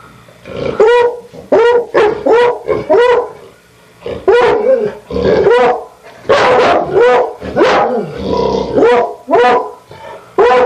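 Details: Two dogs barking excitedly and almost without pause: a dense, fast series of loud tonal barks, some overlapping, with a brief lull before the barking resumes in a steady rapid stream.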